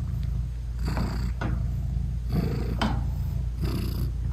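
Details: British Shorthair mother cat purring to her tiny newborn kittens while nursing: dense low rumble with soft breathy rises about every half second to second, no music.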